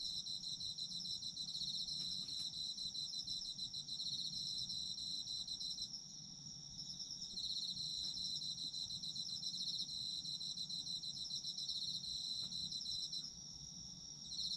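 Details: Autumn insect chorus: layered high-pitched trilling keeps a constant shrill ring, with a short lull just before the middle. A few faint clicks and a low steady rumble sit beneath the singing.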